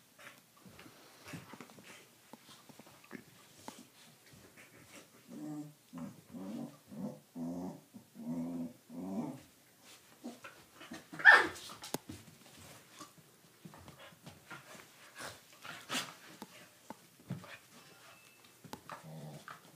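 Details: Rough play between Dartanian, a Doberman puppy, and Vaida, a corgi: a run of about eight pulsing, throaty growls repeats roughly every half second, then scuffles, thumps and a sharp bark-like burst follow.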